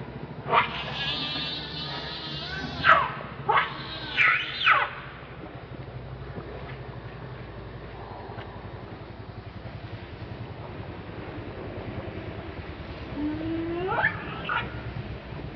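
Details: Monkey Rainbow, very angry while protecting Lucie from Kachoy: a cluster of shrill, harmonic screams in the first five seconds, then a long, quiet stretch of low background noise before one more rising scream near the end.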